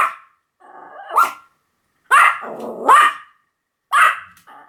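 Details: Pomeranian producing drawn-out, rising yowling barks mixed with a growly rasp, four or five calls spread across a few seconds.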